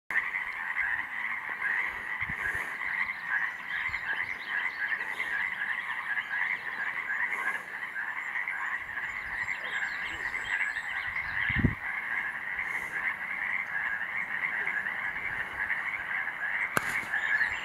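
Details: Possible Yosemite toad at Summit Meadow along Glacier Point Road, a meadow closed for restoration; a steady, overlapping trilling chorus runs without a break, with faint higher sounds and a brief low thump midway.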